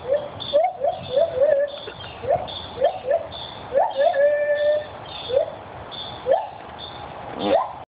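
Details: Parents and baby white-handed gibbons calling in a zoo in Santa Fe, with short upward-sliding hoots in quick bursts, a few longer held notes, and pauses between phrases.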